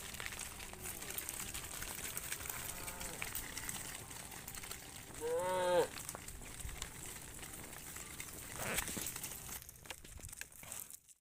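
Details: Tame cattle, part of a herd of hundreds, returning to the farm pen in the evening; a single loud, arching harmonic moo rises and falls midway, over a steady bed of rural background noise, footsteps and faint voices.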